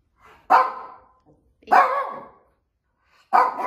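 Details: A Shih Tzu making her daily rounds of a warm bedroom barks at nothing: three sharp, high barks, each with a brief trailing whine, spaced irregularly.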